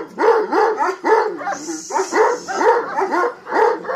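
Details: Kangal female of Hanli lineage giving a quick series of ringing, rise-and-fall barks, roughly two to three per second, broken by a short gap, with a thin high hiss behind.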